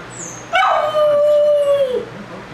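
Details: Puppy left alone for the first time, howling after its owners walk out: one sustained tonal howl starting about 700 and sliding to a steady note, held for about 1.5 seconds before dropping away, faint high tone beforehand.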